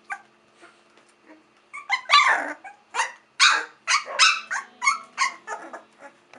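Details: Olde English Bulldogge puppies from the Hank X Grace litter, three weeks old: a burst of high, noisy yips and squeals in quick succession, growing louder after the first two seconds, with faint quieter whimpers before.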